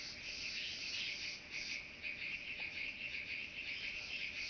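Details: Chabrier's marbled bush-cricket in Arzo, Switzerland, 4 August 2023, recorded through a Pettersson D 100 ultrasound detector with noise removal; a continuous high, shimmering buzz swelling in regular pulses under two seconds apart.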